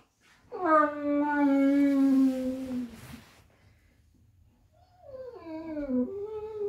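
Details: Golden retrievers play fighting in bed, indoors: one long, steady whining moan held for about two seconds and sagging at the end, then a pause before a wavering second moan.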